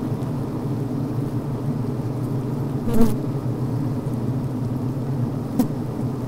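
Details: Healthy honey bee colony heard from inside the hive on a brood frame of open larvae, bees venting, chewing and building comb; a steady low droning hum with layered harmonics, broken by two brief sharp clicks or bzzts near the middle and end.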